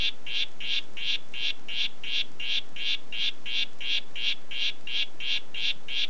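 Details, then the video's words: Harlequin poison frog, the "Red Head" variety, producing a steady run of clipped buzzing notes at close to three per second, high and evenly pulsed, over soft constant hiss. "Oophaga histrionica "Red Head" Ruf"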